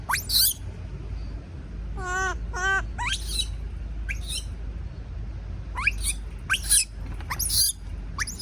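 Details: Baby monkey screaming in fear of being left alone: shrill, sharply rising squeals sweeping high, plus a pair of wavering, harmonic-rich cries in the middle, repeated in irregular bursts over low indoor background hum.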